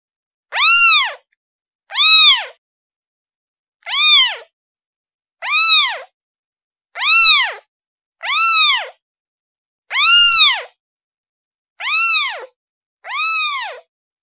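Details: Calling to its mother, a kitten gives nine short, high meows that rise and fall, spaced irregularly roughly every one to two seconds in a quiet setting.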